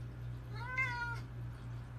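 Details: Single domestic cat meow, rising slightly then falling, about two-thirds of a second long, over a constant low electrical hum.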